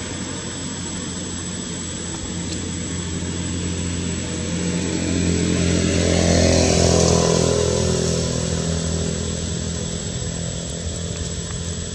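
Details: Loud steady engine roar, like a motorcycle or aircraft passing, swelling in the middle and fading again, with no animal voice heard.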